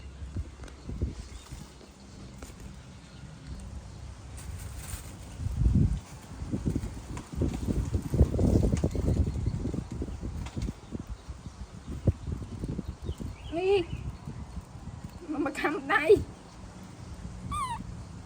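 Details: Baby monkey throwing a tantrum as its mother leaves: after a long stretch of low rustling and thumping, a few shrill, harmonic cries, arched then falling, come near the end, one brief, a louder cluster, then a short final one.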